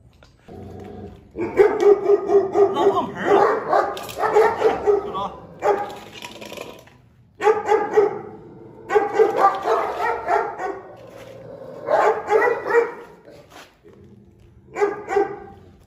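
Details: Presa Canario guarding its food bowl aggressively, giving repeated loud, rough barks and snarls in clustered bursts with brief pauses between them, fading to quieter sounds at the close.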